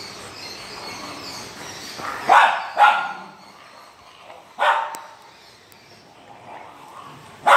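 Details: French Mastiff in India giving four loud, sharp barks, two close together near the middle, then a lone bark and a final one at the end, separated by quiet stretches with faint background noise.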